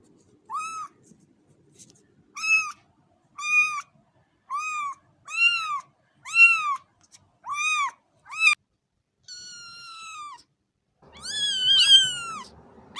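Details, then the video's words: A cat utters a quick series of about nine short arched meows, then a long thin flat mew, ending in a louder, harsher, rasping meow over a burst of broadband noise. "صوت قطة"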